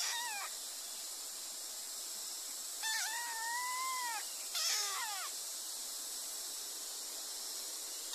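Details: Kittens giving three drawn-out meows, the middle one long and slightly rising before falling, against a constant hiss of background noise.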